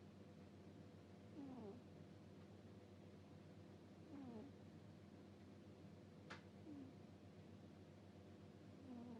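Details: Cat asleep and snoring 'puu-puu': thin, falling, whistle-like snores repeat about every two and a half seconds, with one sharp click midway and a constant low background hum.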